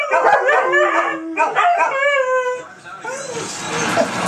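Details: Howling dogs on the 4th of July 2012. Layered, quavering howls with steady held tones, then a broad rushing noise in the last second as the howls fade.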